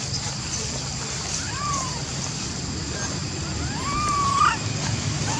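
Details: Baby monkey Lori, unable to use her legs, calls to Amari for help getting up a tree among other little baby monkeys; two clear tonal coos, each rising then falling, over a steady rushing background hum.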